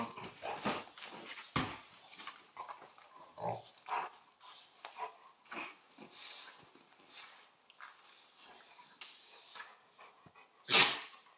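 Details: Central Asian Shepherd Dog during play: a string of varied grumbling growls, snorts and huffs, mostly soft, ending with one sudden loud, harsh yelp-like bark near the close.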